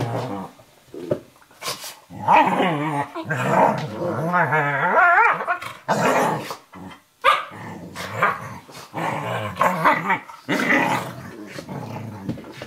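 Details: Eurohound puppy Firenza, about 11 weeks old, and Brio, a 4.5-year-old Nova Scotia Duck Tolling Retriever, play wrestling on a kitchen floor indoors; fierce-sounding rolling growls with wavering pitch and short barks, broken by brief pauses.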